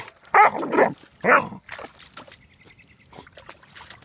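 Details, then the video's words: Almost four-month-old German Shepherd Dog puppy bubble barking while swimming in a pond for the first time: three quick harsh barks in the first second and a half, then splashes and dripping water. "Bubble Barking GSD puppy"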